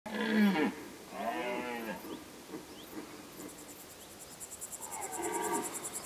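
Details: Red deer roaring during the rut in the High Tatras: three hoarse, harmonic roars, each under a second, separated by pauses, over a low background rumble, with pulsing insect chirps joining near the end.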